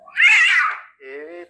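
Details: Domestic cat giving a loud, strained meow that rises then falls, followed by a short lower voiced sound, with a person speaking Turkish just before and after.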